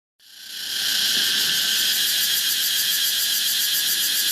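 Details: Cicada of the genus Pompania in Thailand, switching on abruptly with a loud, high-pitched continuous buzz that swells within a second and then holds steady with a fine pulsing texture, no other sounds.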